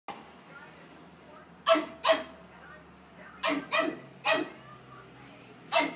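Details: Five-month-old Pug puppy named Anastácia, a house pet, barking angrily at talking stuffed toys indoors; short sharp barks in spaced pairs and singles with long quiet gaps between.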